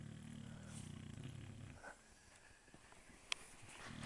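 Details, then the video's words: Dog asleep and snoring: a long, deep, grating inhale lasts nearly two seconds, with a faint click partway through, and a new snore starts at the end. "Dexter Snoring"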